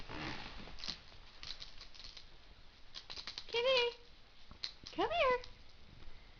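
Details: Meo, a three-month-old male kitten rescued through the Orphan Kitten Project of the UC Davis Feline Medicine Club, gives two short meows indoors on his first night in a new home. Each meow rises then falls, separated by faint rustling and handling noises.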